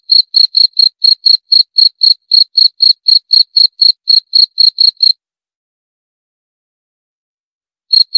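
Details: Rapid, shrill cricket chirps at around four per second for five seconds, then nearly three seconds of silence before the chirping starts again.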